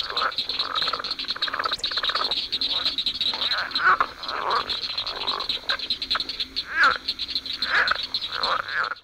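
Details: Southern leopard frog (Lithobates sphenocephalus) of southern Illinois, an early-breeding frog, gives its mating call: a rapid series of short guttural chuckles and clucks.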